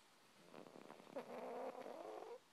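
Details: Peepers, a female pet cat, snoring while asleep: a rattling, pulsed stretch of breath that turns into a steadier, tonal nasal drone, then stops abruptly, in a quiet room.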